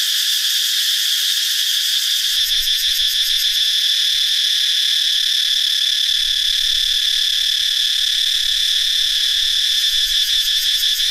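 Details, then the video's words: Cicadas swarming after dry-season hatching in northeastern Thailand's forest: a roaring high drone overlaid with fast rhythmic pulsing bursts near the top of the range, plus faint low rumbling at intervals. "Many cicadas have hatched in the dry season in northeastern Thailand. How loud they are?"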